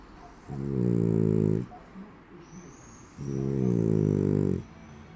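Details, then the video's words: Asleep French Bulldog snoring like a person: two loud, deep, rattling snores of about one second each, roughly two and a half seconds apart, with soft breathing between them in a quiet room. "Französische Bulldogge schnarcht wie ein Mensch!"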